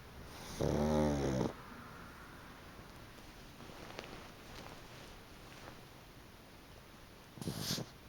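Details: Chicchi, a pug, napping on a freshly dried fluffy futon gives one loud, rasping snore with a layered buzzy tone, then near silence until a brief rustle at the end.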